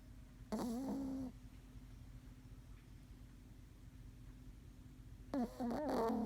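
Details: Squeaky, wavering snore from Maron the Pomeranian while sleeping: a drawn-out nasal whistle lasting under a second, a long quiet gap, then another rougher burst, with a still room behind.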